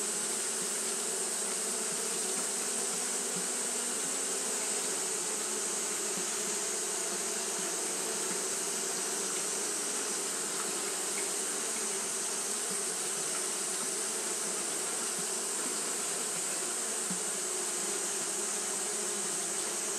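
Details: On a hot day Japanese honey bees fan constantly, giving an unchanging wall of buzzing wingbeats, low and humming, topped by a continuous thin high hiss across the whole stretch.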